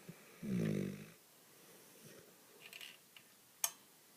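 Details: Dog Baby sleeping on a lap, one short low snore early on, then a few soft clicks and a sharp tap in a quiet indoor room.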